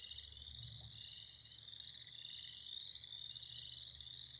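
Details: Spring frogs chorusing together, a constant shimmering mass of fast, high trills from many callers, steady throughout with a faint low background hum.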